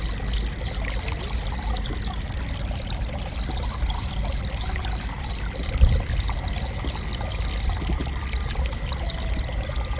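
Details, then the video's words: Cricket chirping for relaxation: a high, evenly spaced pulse train of about four chirps per second that breaks off briefly near the second mark, then resumes. A constant low rush and trickle of water runs underneath. "Gentle Cricket Chirping"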